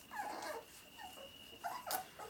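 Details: Labrador Retriever puppies nursing at Vărădia: short, high, nasal whimpers and yips in quick bursts, several overlapping, with a steady thin electronic tone humming throughout.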